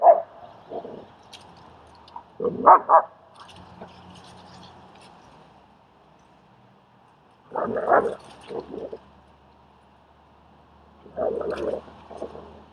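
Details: German Shepherd named Strike helping train and socialize a shy dog, Leonidas, in Queens, New York: scattered bursts of rough barking, a pair near the start and more clusters around eight and eleven seconds, with quiet gaps between.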